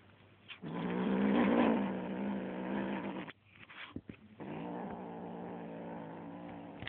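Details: Small kitten growling at a feather toy: a loud, rasping, harmonic growl lasting nearly three seconds, a pause with scratchy handling sounds, then a second steady growl.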